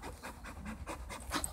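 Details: English Bull Terrier playing tug of war, breathing in rapid rhythmic panting bursts about five per second, each a short breathy huff, ending with a slightly louder puff.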